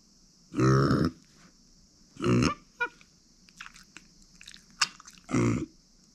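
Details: Female micro pig Uni, born September 2020 and living with her family since April 2021, grunts three times in deep nasal bursts, with small clicks and chewing noises between them over a constant high-pitched hum.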